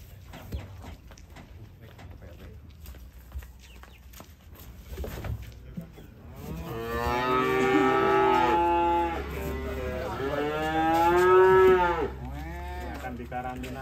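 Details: After several seconds of quiet knocking and shuffling, a cow coming down from a truck lets out two loud, sustained moos back to back, the second wavering and rising slightly before breaking off.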